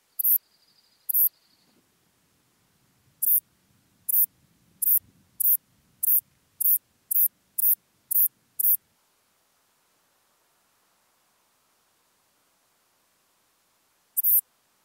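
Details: Western saddle bush-cricket, Bollenberg, France, 9 October 2022: faint, sharp, very high chirps, two at first, then a quickening run of about ten, then silence and one final chirp. A steady high tone sounds briefly at the start.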